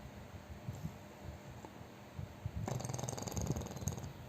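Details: Sleeping chubby pug snoring loudly. A quiet low rumble turns at about 2.7 s into a rattling, pulsed snore that continues to the end.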